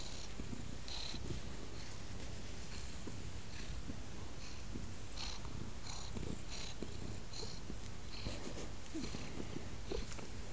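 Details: Teddy, a pet cat curled up on a lap indoors, purrs in a continuous deep, even rumble that fills the whole stretch, with a faint rhythmic rise and fall and no voices over it.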